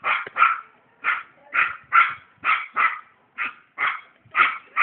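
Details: Happy dog named Chester barking steadily, about one short yappy bark every half second to second, each sharp and mid-pitched, with clean silence between barks.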